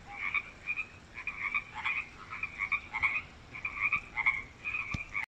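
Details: Loud frogs in a new artificial creek at UBC's Wesbrook Village; pulsed croaks repeated close to once a second by overlapping callers, with a brief click near the end.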